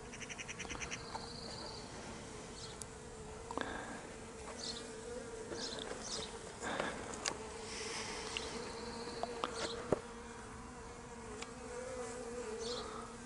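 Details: Honey bees that had left their hive being put back into it by a beekeeper, 26 May 2023; a steady low droning hum of many bees runs throughout, with short high trills and scattered clicks and knocks over the top.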